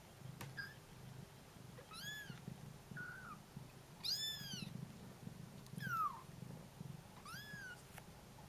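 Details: Bengal kittens mew in high, arched bursts, calling their mother, who is on a short walk; she hears them and answers.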